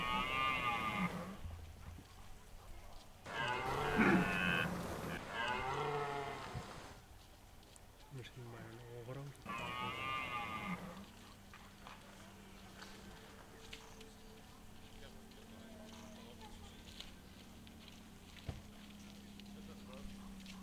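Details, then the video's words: Red deer stags roaring in the rut at De Hoge Veluwe, Netherlands. Several loud harsh bellows come in the first ten seconds, then a quieter stretch with a steady low hum and faint distant sounds. "Bronst Edelherten 2023"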